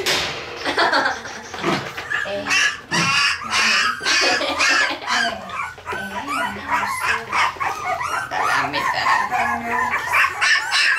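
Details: Several Parson Russell Terrier puppies in Tampere, Finland, captured with a Sony FDR-AX100, keep up a dense chorus of short yelps, squeaks and whines, rapid and overlapping, with brief louder bursts throughout.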